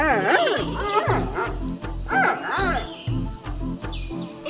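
Repeated whining bleats from a giant panda bend up and down in pitch, the sound it makes when hungry. A steady, thumping music beat runs underneath.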